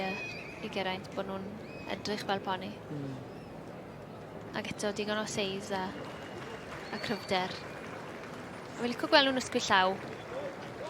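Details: Three-year-old Welsh Cob colt giving several bursts of wavering, tremulous whinnies, each a shaky run of notes, separated by pauses, with people talking nearby.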